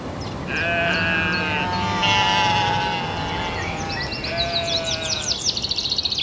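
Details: Several domestic sheep (Ovis aries) bleat in long, wavering, nasal cries that overlap, with bird chirps at the end.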